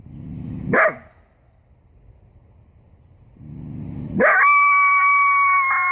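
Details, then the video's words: Common coyote in bright sunshine giving a sharp bark, then after a quiet pause another bark that runs straight into a steady, drawn-out howl with a clear, even pitch and strong overtones, held to the end. "Common coyote howling and barking"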